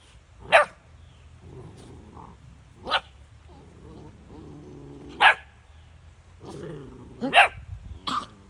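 Great Pyrenees puppies give sharp, separate barks every two to three seconds, with soft murmurs between.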